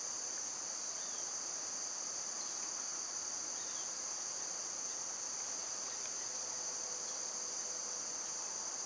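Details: Summer cicadas in a loud insect chorus: a steady, unbroken high shrill hum holds without pause, with a fainter buzzing layer underneath and no other clear sounds.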